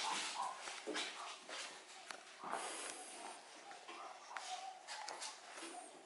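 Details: Yorkshire Terrier puppies born on 1 May 2013, playing together inside the house on 26 June 2013. Short yips and whimpers mix with scuffling, clicks and bursts of broadband noise, with possible human voices nearby.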